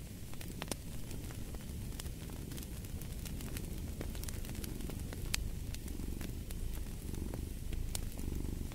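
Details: Low, steady purr from a cat, gently pulsing with its breathing, layered under frequent pops and crackles of a burning fireplace.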